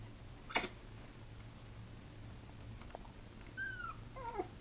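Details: Puppy's very first bark, with a little growling also mentioned: one short sharp bark early on, then a few thin whiny rising-and-falling cries near the end, all faint against a steady low indoor hum.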